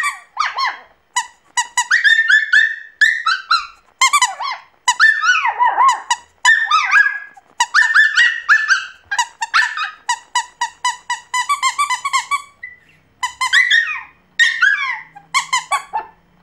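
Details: A Pomeranian puppy singing almost without pause, mixing rapid trilled squeaks, bent rising and falling whines, and short yelps in uneven phrases over about sixteen seconds.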